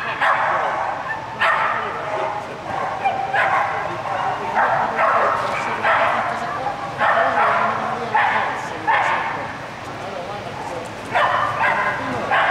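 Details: Kettu, an Australian Kelpie, barking through an agility run on course A in medium class 3, 24 April 2011, a run ending in disqualification; short loud barks about every second over an announcer's voice and hall noise.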